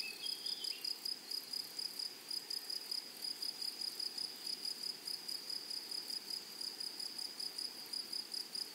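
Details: Meadow grasshoppers on a flowery prairie give a dense, evenly pulsed high-pitched buzz, the beats coming several times a second over a constant shrill drone.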